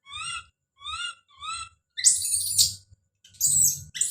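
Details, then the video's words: Don, a young monkey, gives three clear rising whistled cries about half a second apart, followed by two loud, harsh, raspy screams. "The sound of baby Don's scream as he called out"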